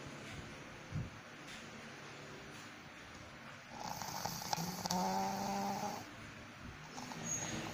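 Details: Sleeping pug snoring with a soft, low rasping rhythm that runs steadily throughout. A faint tonal hum rises over the breathing in the middle stretch, then fades before a final quiet snort.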